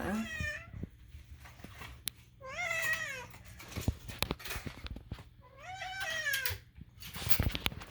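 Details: Domestic cat indoors making strange meows: three drawn-out harmonic meows, the middle one rising then falling, spaced about three seconds apart, with soft household clicks and taps between them.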